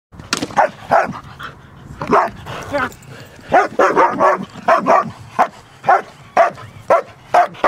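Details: Large solid black German Shepherd trained in IPO protection, barking in loud, uneven bursts, some barks doubled and closely spaced, with brief gaps between, indoors-sounding and otherwise quiet.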